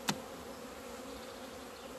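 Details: Honey bees at a beekeeper's hives in Romania on 17 February 2020, flying out into the sun for the first time after two months of winter; a steady, low, layered hum of many bees, opened by one sharp click.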